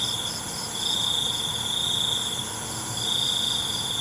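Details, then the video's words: A nighttime cricket gives a sustained high trill of nearly two seconds, breaks off, then starts again, while a constant faint chorus of insects hums underneath. "ALUNAN CENGKERIK MALAM"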